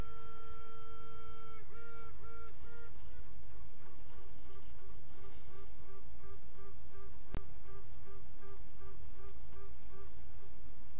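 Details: Honey bee queens piping in a hive at midnight on 27 June 2016: a long steady toot, then short repeated quacking pulses about three per second, steady tone over a constant low hive hum and one sharp click.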